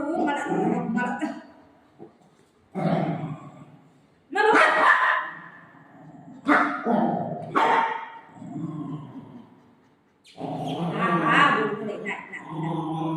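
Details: Golden retriever dog playing with its mom, giving short, loud, broadband barks in uneven bursts a second or two apart, with a woman's voice talking between and over them.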